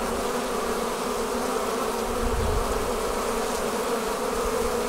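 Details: Steady, full droning of a honey bee swarm as it pours out of its hive, with layered low buzzing tones holding evenly from start to finish and a brief low rumble midway.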